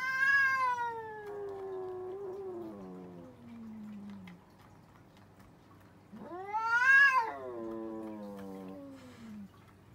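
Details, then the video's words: Arguing cats trade two long wavering yowls. The first starts high and slides steadily downward over four seconds. After a pause, the second swells upward to a loud peak, then trails off in a falling moan. "Cats Arguing | Cats Talking Each Other"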